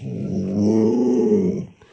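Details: Luoluo, a pet Alaskan Malamute, gives a low rumbling growl indoors, swelling gently and holding steady for about a second and a half before fading out.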